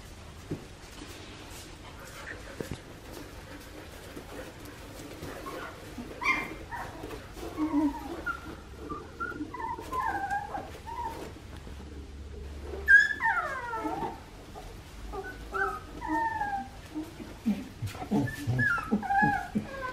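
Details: Two-and-a-half-week-old Australian Shepherd pups from Poppy and Dublin's litter, at an Oklahoma breeding farm, giving scattered high-pitched squeaks and rising whines that build in the second half, with faint speech in the background.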